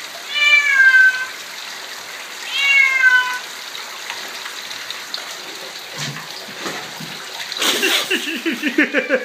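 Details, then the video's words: Male Bengal kitten, 11 months old, vocal after a soaking shower: two drawn-out meows in the first few seconds, then a man's voice talking and rustling handling noises. "Timon loves to talk after a shower"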